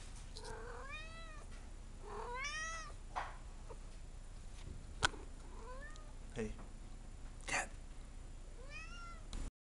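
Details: Indoor domestic cat, angry and wanting to go outside, gives a run of short rising-falling meows, about six over ten seconds, some cut short, with faint clicks and a brief word from a man.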